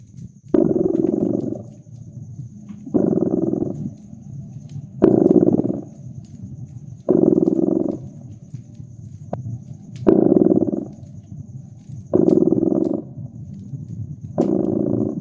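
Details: Cat by a crackling fireplace, purring in a regular cycle: seven loud throbbing rumbles, one about every two seconds, alternating with faint, lower purring, plus occasional sharp snaps of the fire.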